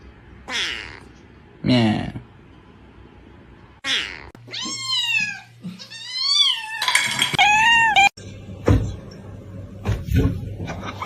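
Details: Domestic cat in a funny cat compilation giving a run of drawn-out, arched meows that rise then fall, several in close succession mid-clip, with human speech, laughter and sharp knocks around them.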